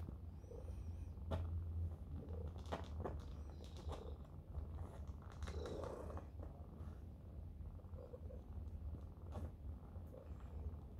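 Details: Purring from a mother cat with her kittens: a continuous deep, throbbing drone with brief soft squeaks and light scuffling sounds scattered through.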